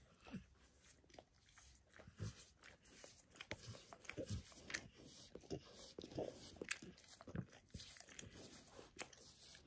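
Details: A dog called Max in a spontaneous self-grooming session, licking his paws and a nearby person's foot; loud, rapid, wet licking and crisp smacking clicks continue almost without pause.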